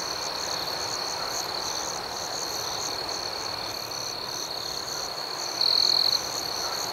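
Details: Crickets at night in a serene outdoor setting: a steady, high, rhythmic chirping pulsing about four times per second, with one brief, louder, sustained trill near the end.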